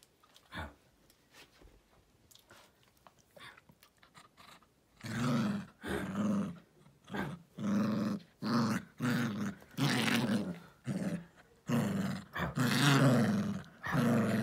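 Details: Pet dog Jiffy growls while killing his toy stuffed elephant, something he does every evening after dinner. Soft rustling for about five seconds, then a run of about ten loud, rough growl bursts, each lasting roughly a second, with short gaps.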